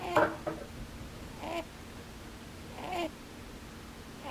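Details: Rabbit asleep with its eyes open, snoring with the puffing 'pū pū, bū bū' noises; three short squeaky nasal bursts, each a brief falling tone, spaced about one and a half seconds apart over a quiet background.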